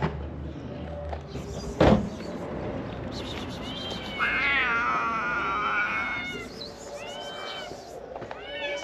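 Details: Several ginger stray kittens from a large family rushing to a food box, meowing in overlapping, wavering high calls that rise and fall, with a sharp knock and a person's voice nearby.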